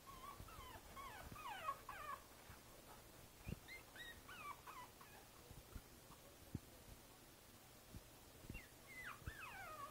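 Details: Princess Izzy, a Boston Terrier puppy aged five weeks, whines from a basket on 12/4/2011: clusters of rising-and-falling high squeaky whimpers separated by pauses, with light tapping noises between them.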